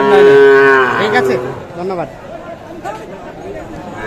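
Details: Sahiwal bull calves at the Aftabganj market in Nawabganj, Dinajpur, mid-July 2024: a loud, clear moo of about one and a half seconds that tails off, followed by quieter trading-ground murmur and scattered voices.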